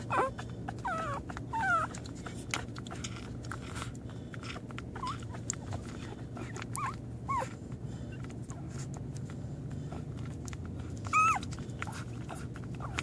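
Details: On its first day, an American Pit Bull Terrier lets out a series of short, bending whines, some climbing then dropping, spaced a few seconds apart, with a louder double whine near the end and constant low background hum.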